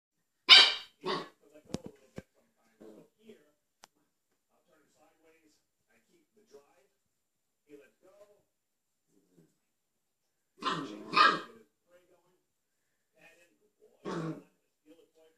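A young Siberian husky lets out quick, high-pitched yappy barks, some doubled, spaced several seconds apart. The puppy barks to invite a cat to play, with faint indoor sounds in the pauses.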